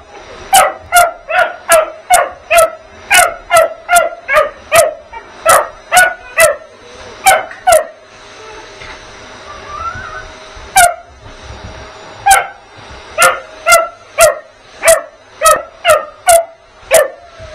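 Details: Vocal puppy Bugs attacking the vacuum with rapid high-pitched yaps, a long fast volley, a pause filled by the vacuum's whirr and a brief whine, then another quick run of barks.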